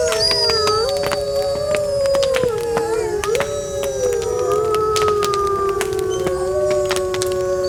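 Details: Wolves howl on a cold winter night, with sustained, gently gliding tones overlapping and changing pitch. A bonfire crackles steadily with sharp snaps and pops in the foreground.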